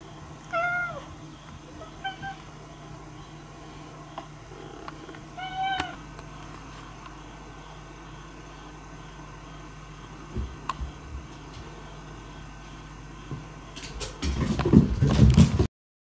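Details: Cats in play mode on a long autumn night. Short meows, each rising then falling, come in a loose run of about four calls over the first six seconds. Quiet follows, then rustling and clattering near the end.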